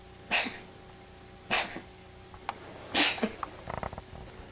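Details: Pet kitty, a she-cat, sneezing strangely as she wakes from a nap, seeming to choke; three loud hissing bursts about 1.3 seconds apart, then soft snuffly clicks at the end, quiet indoor hum behind.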